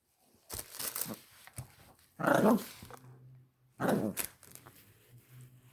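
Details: Female Chihuahua puppy indoors with new Christmas toys, letting out two loud, rough yapping barks about a second and a half apart, with a little human speech before them.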